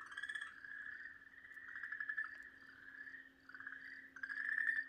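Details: Okinawa green tree frog being eaten by a Pryer's keelback snake on 4 March 2023, screaming in long, wavering, reedy wails that swell and dip almost without pause over a faint steady hum.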